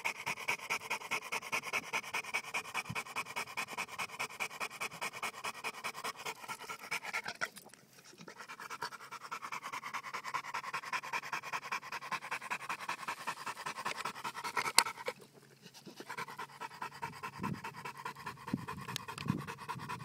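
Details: Johnson American Bulldog named Bowzer pants quickly and breathily, rapid even puffs more than two per second, broken by two brief gaps, over a faint steady background hum.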